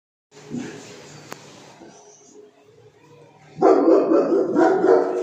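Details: Cane Corso dog showing aggressive behaviour; a few seconds of quiet low rumbling, then a sudden loud, harsh, rough-toned barking burst lasting to the end.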